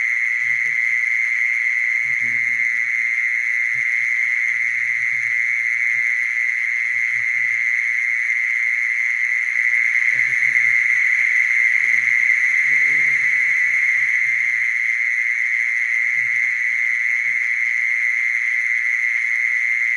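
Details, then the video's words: Mole cricket giving a long, uninterrupted monotone trill, loud and steady for the full length, with scattered quiet low rumbles and murmurs underneath. "Mole cricket sound"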